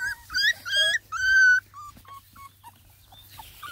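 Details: A young female Bluetick Beagle puppy, in a pen with littermates and mother, howls in high, wavering, sad-sounding notes, then trails off into soft whimpers.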